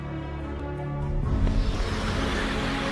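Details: Swelling orchestral music with deep sustained tones fills the sound, with no animal voice.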